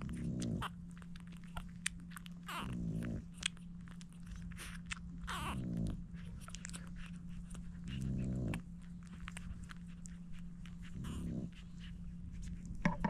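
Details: Seven French Bulldog puppies being fed by their mother Dooney indoors; short, low, harmonic grunts and whimpers come every few seconds, with one brief rising squeal midway, over constant smacking and crunching feeding noises and a steady low hum.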